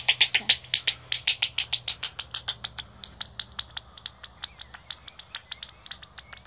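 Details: Many pipistrelle bats at Bowesfield Nature Reserve, heard via a Magenta Bat Detector: loud rapid ticking pulses at first, then a steadier run of sharp clicks that fade and space out over several seconds.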